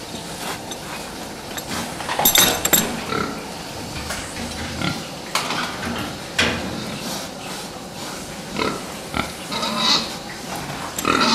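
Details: Pen of fattening pigs: irregular grunts and short squeals mixed with metallic clanks and knocks, as if from feeders or gates.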